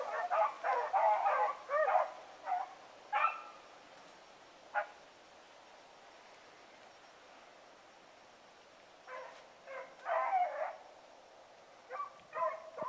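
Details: A distant hunting hound on a trail on a November evening gives bursts of loud, booming, bawling barks, several in quick runs, with quiet pauses between.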